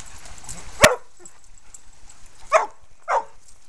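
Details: At Bear Creek Dog park, a one-and-a-half-year-old red and white male Aussie herds other dogs; one sharp bark, a pause of nearly two seconds, then two more quick barks over a faint background hiss.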